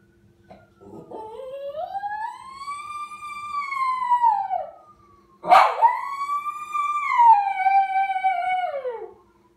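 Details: A male Lhasa Apso answers a passing ambulance siren with two long, wavering howls that rise, hold, then slide down, as if imitating it.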